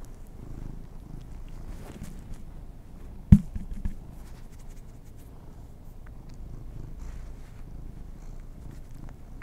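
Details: Domestic kitties enjoying treats: a continuous deep purr hums under the whole stretch, with one sharp knock around the middle and faint mouth sounds.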